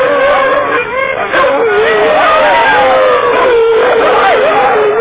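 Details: Huskies howling inside a car: several voices overlapping in sustained wavering howls that slide up and down, blended into a dense chorus with steady background road rumble.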